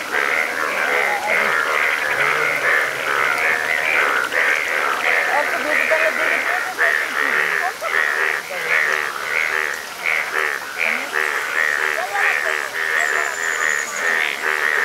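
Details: Frogs in Nepal, linked to a yellow frog, calling as a dense, continuous chorus of rapid pulsed croaks that overlap and repeat throughout, with a brief thin high whine near the end.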